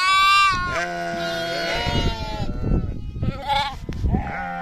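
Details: Bleating sheep: a loud, high, wavering cry first, then a long steadier bleat and shorter quavering ones from other animals, over low scuffling background noise.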